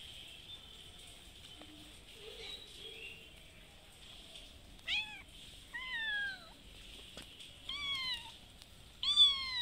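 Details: A mother cat with a little kitten calls for food at a house she visits twice daily. Faint rustling comes first, then a run of clear meows, each bending up and then down, growing louder toward the end.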